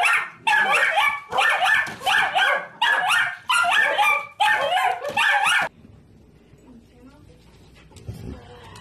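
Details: Siberian Husky pet dog barking in a fast series of loud, rough, harsh barks in clusters for about six seconds, followed by quiet room noise with faint soft sounds.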